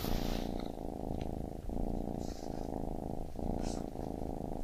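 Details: Low, even purr from a baby kitten, rhythmic inhale and exhale phases marked by short dips, with faint higher rustles or scratches around the start and near two and four seconds.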